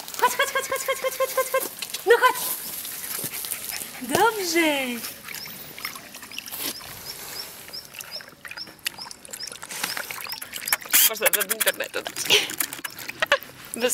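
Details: English Cocker Spaniel puppy; high, harmonic whines and a falling, yelping cry early on, then scattered short yips and clicks, with a person speaking in the background.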